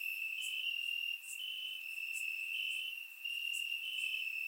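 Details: Crickets in grass on a warm summer night, recorded in Bulgaria with a surround microphone; steady piercing trill from multiple insects with small swells and a brief dip, and occasional crisp higher chirps overhead.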